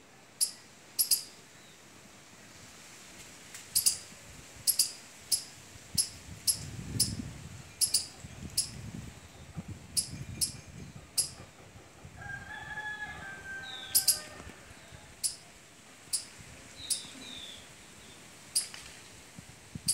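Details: Squirrel at mango and litchi trees when fruit appears, calling from the tree in season; sharp, high, clicking chips in irregular bursts, some doubled, about twenty across the stretch, with a low rumble midway and faint whistles near the end.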